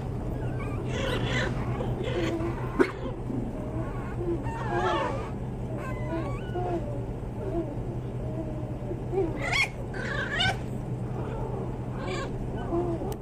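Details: Pomeranian toy spitz puppies whimpering and squeaking in short, wavering high whines, scattered irregularly over a steady low electrical hum.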